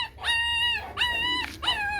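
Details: Chow Chow puppies fifteen days old, eyes just opened, wriggling while being handled; three drawn-out high whines, each a steady tone with a brief rise at the start, separated by short gaps.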